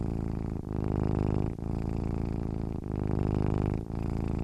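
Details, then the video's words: Sleeping domestic cat purring: a steady low rumbling drone, broken by brief pauses about once a second as the breath turns, with no other sounds. "cat sleeping with purring sounds"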